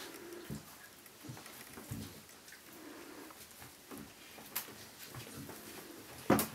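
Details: Low, soft whimpering grunts from an Azawakh litter (litter G, 11 December 2011) come in short murmured bursts every second or so, set against quiet rustling and a couple of sharp knocks.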